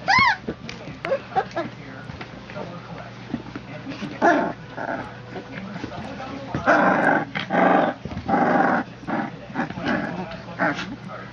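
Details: Three-week-old puppies born September 22, 2014, pups of Legendary Phantom and Lavish Habits, tussle in a close encounter with 'The Great White Shark': high harmonic whines open, then short rough growling bursts, with people talking throughout.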